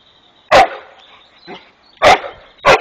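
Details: Jasper, a Rhodesian Ridgeback, playing with the neighbours' peacock, gives three sharp loud barks with a softer short sound between them; quiet background otherwise.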